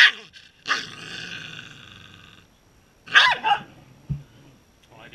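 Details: Corgi barking and growling: a harmonic bark-growl at the start, a sustained rough growl, then a loud sharp bark burst near three seconds and a short low grunt, another bark starting at the end.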